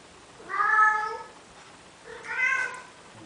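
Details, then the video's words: Male domestic cat in Athens, Greece, courting a female Siamese cat and trying to persuade her to mate: two drawn-out, tonal meows about two seconds apart, each swelling then fading, in a quiet indoor room. "Male cat begging female Siamese cat, trying to convince her to mate making cute sounds!! ζευγάρωμα"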